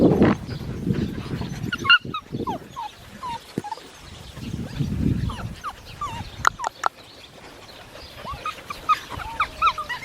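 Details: Seven-week-old Australian Shepherd puppies from a registered breeding farm, whining and squeaking in short rising and falling whimpers, many overlapping, with scattered sharp clicks and some low rumbling handling noise.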